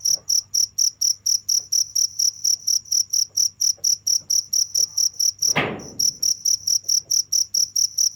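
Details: Continuous shrill cricket chirps at a fast regular beat, briefly interrupted by a short broad rustle or thump near the middle, then resuming unchanged.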